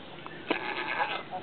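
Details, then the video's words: A little female goat, alone, greets the person filming after hopping down off a table: a short, hoarse, wavering bleat, with a human voice speaking nearby. "Little lady goat talking to me and saying hi!"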